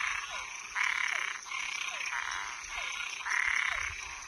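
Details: At night a toad or tree frog gives long, coarse, rasping croaks, three drawn-out bursts with short gaps, each preceded by a faint falling note, over a constant high whine.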